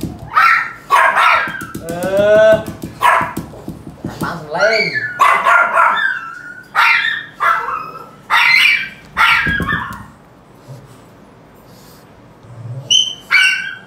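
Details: Pug having its ear cleaned: a run of high, wavering whines, then short sharp yelps and bark-like bursts in quick succession, a few more yips near the end, with human speech mixed in.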